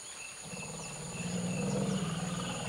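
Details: Forest elephants, several families alarmed and running from a forest clearing toward the rainforest edge, ears held high and tails raised; a low droning rumble swells and holds, under steady high insect-like tones and faint thin whistles.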